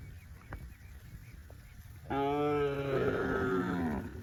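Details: Tame cattle on a farm, running in green grass rice fields; after two seconds of low background rumble, one long harmonic moo begins, holding steady then sliding slightly lower toward the end.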